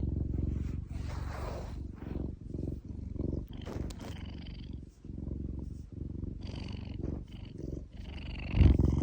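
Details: Domestic cat purring steadily while its paw is stroked, a deep continuous rumbling throb with short pauses between breaths and faint rustling of fur and hand movements.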